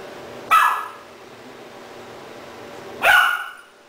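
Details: A three-month-old Doberman puppy, Rahab, barks at a second-hand stuffed toy dog she seems to take for a real one, Cebu City, Philippines, October 2009. Two short, bright yelping barks sound about two and a half seconds apart.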